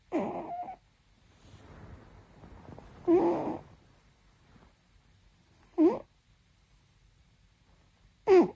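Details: Domestic cat asleep on a warm night, snoring softly indoors. Short, rough, breathy snorts come roughly every two and a half seconds, separated by near silence in a quiet room.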